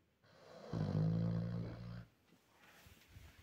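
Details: A young Vietnamese pig (Sus scrofa domesticus) snores with one long, low, rasping snore and a deep buzzy rumble.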